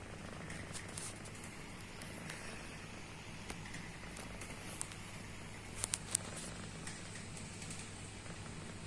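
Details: Pet cat snoring while asleep, a low, even rumbling hum that runs unbroken, with a few sharp clicks and crackles from handling near the end.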